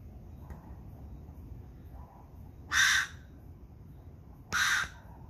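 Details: Ringtail, known locally as babisuri, calling at night in Santa Rosa on January 26, 2020. There are two loud, harsh, rasping bursts about two seconds apart, each lasting roughly a third of a second, over a faint low background hum.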